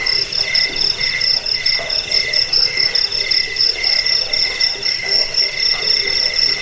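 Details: Chirping crickets meant to repel rats, bring sleep and serve as bird-training material. A continuous high ringing tone is joined by quicker, choppy lower pulses, with faint scratchy noise between.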